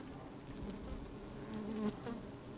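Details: Honey bees in an opened hive on a fine sunny day, microphone inside the hive: an even low hum ending in one brief louder buzz.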